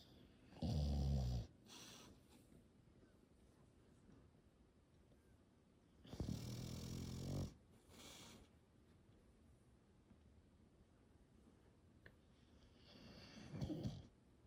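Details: A slumbering English Bulldog being petted gives loud, low, rattling snores, each about a second long, separated by long stretches of soft, quiet breathing.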